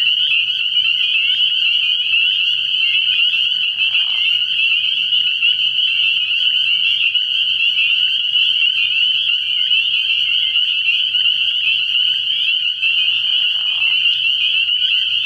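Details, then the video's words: A night chorus of spring peepers at a frog pond in early spring, shrill high-pitched peeps overlapping without gaps into a constant bright ringing, broken only by two soft lower swishes. "Relaxing Tree Frog Sounds"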